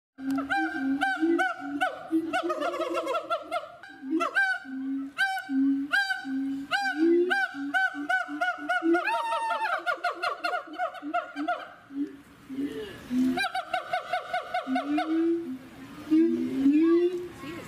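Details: In a hilly Kalimantan forest in the morning, a Bornean gibbon (Hylobates muelleri) gives a run of loud, nasal hooting notes that rise and bubble into quick trills.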